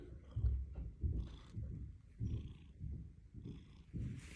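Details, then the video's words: Orange cat purring, a low rumbling purr pulsing in steady cycles of roughly two per second, with a person speaking softly nearby. "#orangecat #purr"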